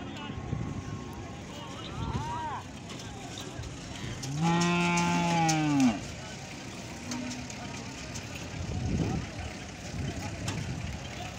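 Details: Cattle during natural mating, cow with bull and buffalo: one loud, steady moo of about a second and a half in the middle, with fainter lowing before and after over a noisy farm background.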